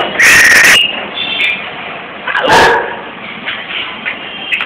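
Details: A dog on a balcony gives two loud, sharp outbursts, the first longer with a thin whining tone, the second short and abrupt, over a steady hiss of background noise.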